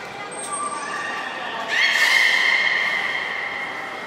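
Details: Belugas Gray, Nana and Niko in training at Port of Nagoya Public Aquarium on 14 October 2019; a steady high whistle, then a sudden loud rising buzzy tone that holds level, with crowd noise behind.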